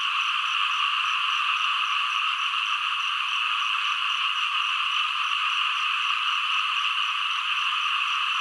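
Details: An unbroken frog chorus: a thick, high trilling drone holds at an even level, with many callers overlapping and no pauses or distinct single voices.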